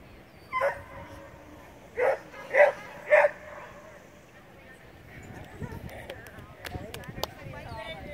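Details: Standard Poodle puppy on a CPE agility run: one sharp bark, then three quick barks about half a second apart, followed by clattering, footsteps and a murmur of people in the background.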